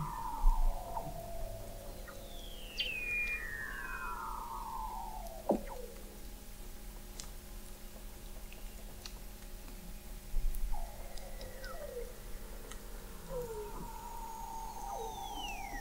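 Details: Weddell seal vocalizations under the Antarctic sea ice of McMurdo Sound, November 2017, from an observatory 21 m down: several long descending glides and warbling downward sweeps at varied pitches, spaced by quieter stretches of underwater hum.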